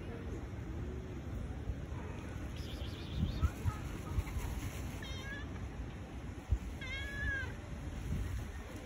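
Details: Tabby cat wanting love gives short, wavering meows with stacked high overtones, one brief cry near the middle and a longer, rising-and-falling one later, over a steady low rumbling background.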